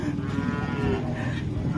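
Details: Agitated, hard-to-handle cattle lowing: a deep, sustained moo with a rich harmonic stack that wavers slightly in pitch, over background chatter.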